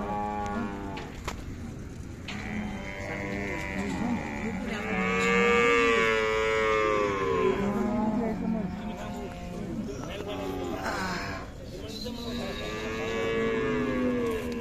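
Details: Khillar cattle at the cow market in Sangola, Solapur district, on 28 April 2024: long, drawn-out moos with rich harmonics that rise then sag, one in the middle and another near the end, over people talking.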